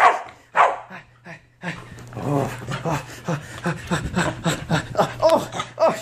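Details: Corgi in the bath giving a rapid series of short yips and thin whining cries, several per second toward the end, mixed with human speech in a small indoor room.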